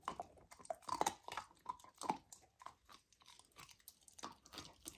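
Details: Lilo, a golden retriever puppy on a raw diet, eats raw lamb for the first time, recorded indoors for ASMR. Wet chewing and crunching bursts come irregularly, several per second, with brief pauses between bites.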